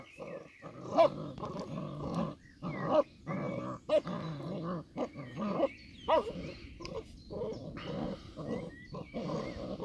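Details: Old English Sheepdog puppies playing, giving repeated low growls and rough grumbling yips in short bursts, several voices overlapping, with a few sharper yelps standing out.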